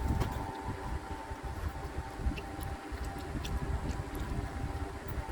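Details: Gusty low rumbling wind noise with a steady faint tone and scattered knocks, no animal voice standing out.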